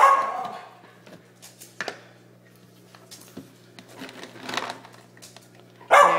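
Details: Indoors during the morning treat handout, a household of three dogs (Mini Schnauzer, Basset, Yorkie) gives an opening bark, scattered quieter yips, then a final sharp bark, over a steady low hum and a person offering treats.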